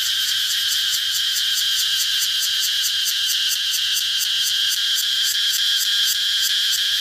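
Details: A cicada's shrill drone throbbing in quick, even pulses, roughly three per second, over a constant high hiss throughout.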